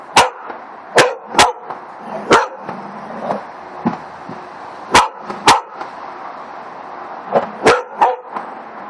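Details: A black Labrador Retriever gives sharp, short barks at irregular intervals, often in quick pairs, at a hedgehog.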